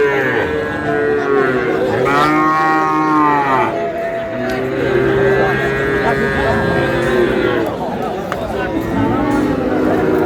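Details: Sahiwal cattle mooing at a busy cattle market, Noakhali, 24 April; a loud, rich moo swells and falls near the middle, with more long, lowing moos behind continuous market chatter and voices.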